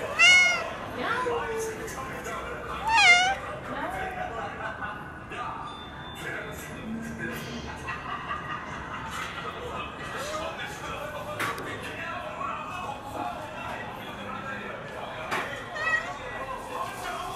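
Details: Ragdoll cat giving two high, wavering meows with rich overtones in the first few seconds, one slightly longer and falling at the end, then a faint third meow later, over steady background murmur and indoor noise.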